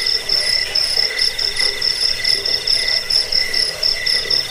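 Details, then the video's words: Insistent cricket trilling meant for repelling rats, helping sleep and bird song training; bursts of high metallic chirps rise and fall in short throbbing groups over a steady background drone. "Suara jangkik pengusir tikus pengantar tidur"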